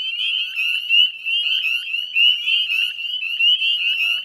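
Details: Many northern spring peepers calling at dusk near West Chezzetcook salt marsh, Nova Scotia, in May 2020: sharp, high upslurred peeps repeated close together, nearly once a second from the loudest frogs, over a ringing background chorus.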